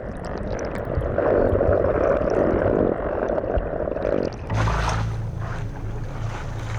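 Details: Medium-sized brown croaker (Miichthys miiuy) drumming at sea by inflating its swim bladder: a dense low buzzing hum, then a deeper rumble. Males sing to compete, and lower-pitched males are thought more attractive to females.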